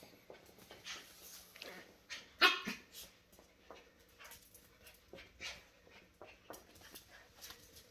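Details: Shetland Sheepdogs, a tri-color and a grey pair, playing indoors; one sharp, loud yelping bark rises near the middle, surrounded by soft whimpers, scuffling and pattering paws.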